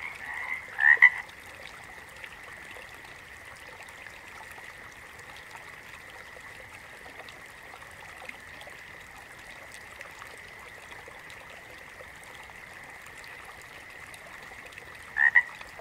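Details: A steady distant frog chorus hums without pause. A close double croak stands out near the start, and another comes at the very end.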